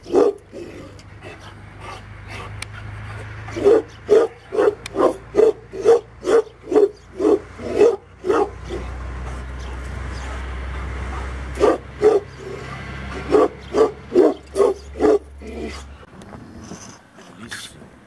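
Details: Tibetan Mastiff, the Do Khyi of Tibet, kept as a guard dog, barking in a deep, fairly regular series about twice a second, with a pause midway, over a steady low hum and rumbling background noise.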